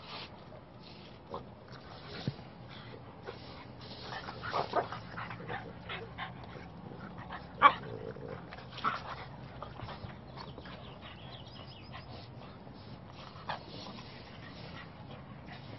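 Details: Blue Sky, a male blue brindle French Bulldog puppy, gives scattered short yips and soft whimpers, one sharper yelp standing out midway, over a low steady background hum.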